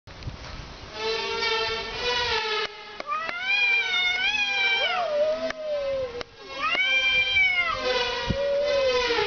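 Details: Cats fighting, with long wailing yowls that rise and fall in pitch, overlapping harsh drawn-out caterwauls and a few sharp clicks.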